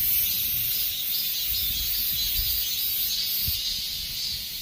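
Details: Late-summer chorus of dozens of cicadas: a continuous shrill, rasping drone, strongest at the start and easing slightly, with faint low background thumps.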